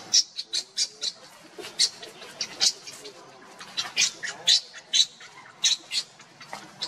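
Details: Monkey scene: Luna runs fast carrying Luno while Rainbow tries to take Luno away; shrill, squeaky calls come in short bursts about twice a second, uneven and rough-edged, over a faint background hiss.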